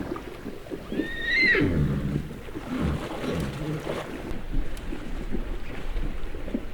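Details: Mongolian horses cooling off in a river in Mongolia; a single whinny opens high and shrill, then drops into lower, shaky, stepped tones lasting about a second, over a steady rush of flowing water.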